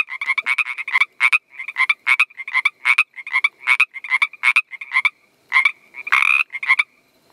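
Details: Northern Pacific treefrog calling to attract mates, a rapid run of clipped, raspy double-note croaks repeated several times a second, then a longer harsh rattling croak near the end before the calls stop.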